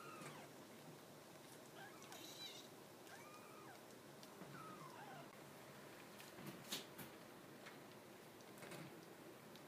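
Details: Ten-day-old purebred Maine Coon kitten, small and trembling, born in August 2015, giving faint, thin, high mews. Several short arched cries rise then fall in scattered bursts over steady low background hiss, with a few soft clicks near the end.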